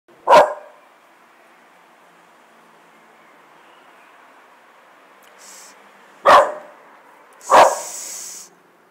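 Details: American Bulldog giving three loud, sharp, single barks: one at the start, then a long quiet gap before two more about a second apart near the end, with a man's brief soft voice in between.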